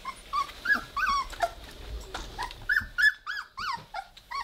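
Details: Three-week-old Weimaraner puppies playing together and starting to growl, giving rapid high squeaky yelps that arch up and fall, several each second, with short gaps between bursts and faint rustling underneath.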